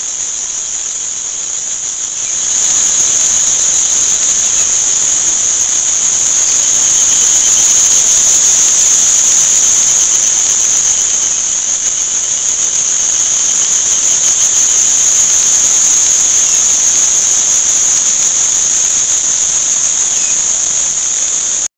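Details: Crickets at an insect, flower and fish market in Shanghai: quieter at first, then a sudden rise after about two seconds into a loud, sustained, shrill high-pitched trill that continues steadily to the end.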